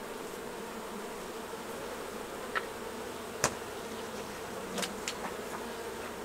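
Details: Busy hive of honey bees during a honey harvest, hum drawn from many insects at once: continuous low droning buzz, broken by a few sharp clicks and knocks from handling the hive equipment.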